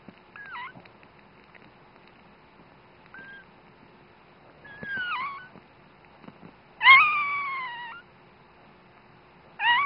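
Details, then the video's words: Newborn female dachshund puppy, the mother's very first pup, gives its first thin, high squeaks and drawn-out wailing cries. "16.01.10 - newborn baby dachshund noises"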